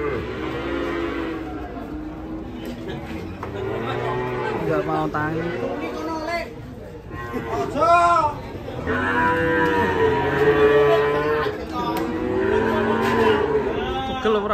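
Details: Moos from cattle rampaging off a truck into a ditch. The calls are drawn out and harmonic, one rising sharply around the middle, over steady voices and general bustle.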